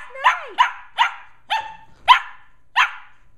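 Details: Two 11.5-week-old Shetland Sheepdog puppies wrestle and run around indoors in the evening. Six sharp, high yapping barks come about every half second, the first sliding downward. The background is quiet.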